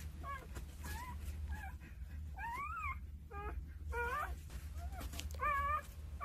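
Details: Two-day-old Jindo puppies nestled with their mother, part of a litter of nine, utter thin, rising and falling whimpers and short yips, some sharply bent, scattered over the clip above a low steady hum.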